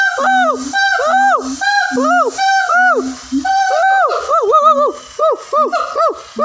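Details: A siamang (Symphalangus syndactylus) gives a loud call of ringing whoops that arch up and down, with flat honking notes in between.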